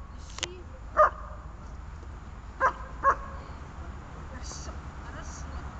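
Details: Dog during bungee-lead bite training, covering grip, struggle and calming. One sharp bark, then after a pause two more close together, over low steady background noise with a faint hiss.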